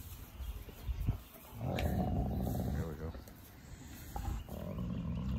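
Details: Wolfdog growling and snarling during mouthy play, a female reasserting dominance over a male; low rumbling growl sustained for several seconds with breaths between, a man talking over it.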